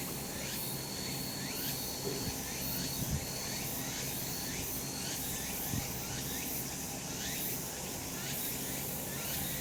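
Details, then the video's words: Cicadas calling in a sunny summer mountain setting: continuous high pulsing buzz in steady waves, with a low rumbling drone and a few soft thumps in the background. "セミの鳴き声 夏の山 日なた"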